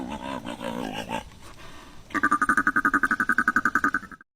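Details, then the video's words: After a spoken voice, a male sea lion gives about two seconds of rapid, pulsed honking, roughly ten harsh, buzzy beats a second. "This is a sea lion. This is what he sounds like."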